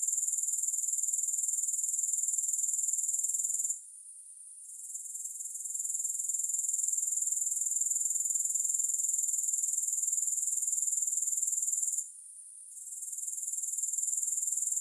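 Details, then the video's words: Grasshoppers buzz in a bright, piercing, steady drone that throbs about four times per second, without music. Two short silent gaps, near four and twelve seconds, are each followed by the buzzing swelling back. "3 Hours of Grass Hopper Sounds"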